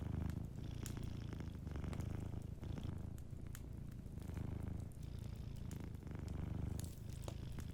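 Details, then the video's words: Soft, deep purring from a sleeping cat, a continuous low throb that rises and falls with each breath. A faint fire crackles quietly in the background. "Warm Fireplace Ambience with a Sleeping Cat 🐱💤Fireplace & Soft Purring"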